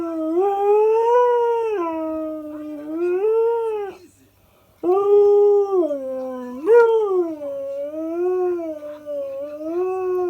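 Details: A husky in its regular morning chatter, said to sound like riding an invisible motorbike. Two sustained, wavering howls rise and fall in smooth undulations. A brief silence splits them, and the second runs with a short upward yelp.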